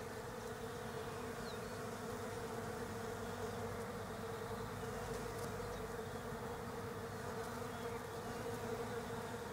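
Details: Many European honey bees buzzing around autumn-flowering Desert Ash in Australia; a continuous, distant swarm hum with steady low drone, soft background wash and faint bird notes.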